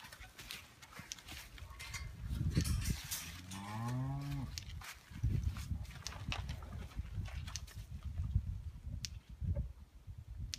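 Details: Bull turned out at breeding time, outdoors: one drawn-out moo, first low then rising and wavering, heard through steady wind rumble and handling noise.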